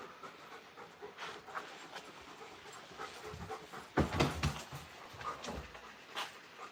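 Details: Two giant Alaskan Malamutes play rough outdoors at night, tugging at a harness and panting in quick, breathy bursts, with a person scolding them and tree frogs calling.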